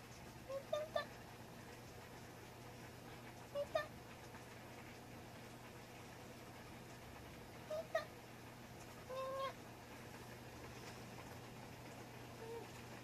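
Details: Miita, an affectionate Munchkin cat recorded indoors on 4 January 2020, gives four brief, soft meows in quick bursts roughly every three seconds, the last a longer steady tone, against a low steady household hum.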